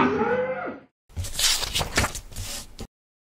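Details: Cattle at a trader selling sacrificial animals in the Eid al-Adha season, where Bejo, a 1.1-tonne Simmental, was sold; a brief drawn-out moo with a rising then falling tone, followed by a pause and loud rustling, clattering noise.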